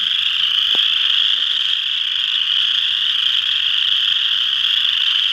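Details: A dense group of western chorus frogs at Ojibway Park in Windsor, Ontario, producing a relentless, even mass of high rattling trills, with a single short tap heard early on.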